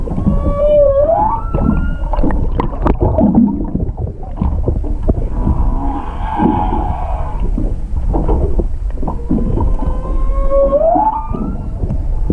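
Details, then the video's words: Underwater recording of a singing humpback whale off Hakohama, east of Chichijima, 21 February 2021, made with a GoPro 7 from a halted boat: bright rising whoops with harmonics open and close the phrase, a buzzy pulsed stretch between, over low rumble. "ザトウクジラの声「音声加工なし」Humpback whale voice "no processing""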